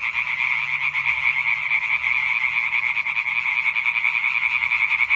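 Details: European treefrogs in full chorus, recorded 20 May 2023: rapid rhythmic croaks overlapping into a pulsing, rattling wall of sound, roughly two to three pulses per second audible in the swelling loudness.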